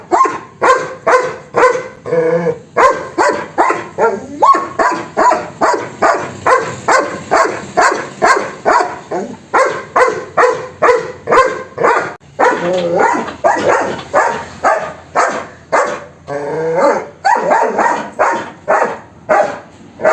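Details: German Shepherd barking fast and persistently, about forty harsh barks in rapid series with only brief pauses. The rhythm is uneven, sometimes nearly continuous and sometimes broken into short bursts.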